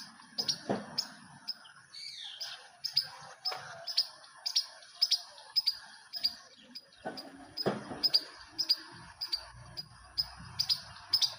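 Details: Squirrel making noise from a rooftop: a run of short, sharp, clicky chirps repeated roughly twice a second, with a few duller low knocks mixed in.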